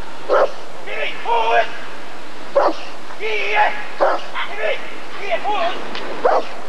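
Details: Rottweiler at the 1994 ADRK breed survey (Körung), giving short, sharp single barks about every one to two seconds. Men speaking in German run between and over the barks throughout.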